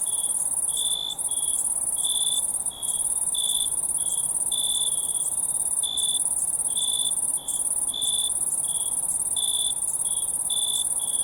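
Crickets chirp at night, a steady high trill with a lower pulsed chirp repeating about once a second.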